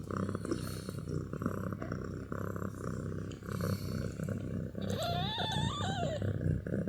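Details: Sleepy kittens: a steady low purring rumble runs throughout, with a wavering high kitten meow rising and falling near the end.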